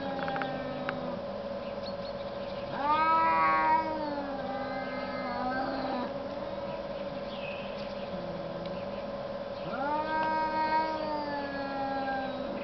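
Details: Quarrelling cats in snow trade yowls: low wavering growl-moans rise into loud harmonic wails around three and ten seconds, with quieter droning moans between, all over a steady electrical-like hum.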